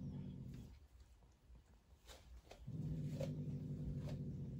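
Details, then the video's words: A female Turkish Van cat, angry at her roommate, growls in a low, steady rumble broken by brief sharp hisses. "Angry Turkish Van cat hissing and growling to her roommate"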